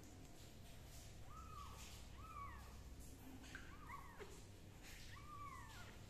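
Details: Kitten being treated for fungus with leaf juice, giving a few short arched meows that rise and fall, some with a higher second tone, over a steady low hum.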